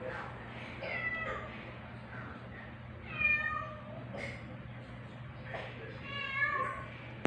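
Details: One-week-old male rescue kitten Aldous, in temporary foster care, being introduced to black mama cat Pepper indoors on 4 July 2022; about six thin, high meows come in short bursts, some rising then falling, with quiet Filipino speech and a low steady hum.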